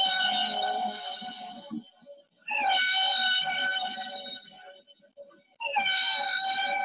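Humpback whale song: long, horn-like tonal moans with rich overtones, repeated in steady units.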